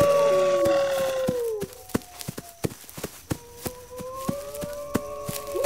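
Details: Wolf howl, a falling drawn-out tone in the first seconds, then fainter layered howls rising softly, amid regular sharp clicks and a dense scatter of high chirps early on.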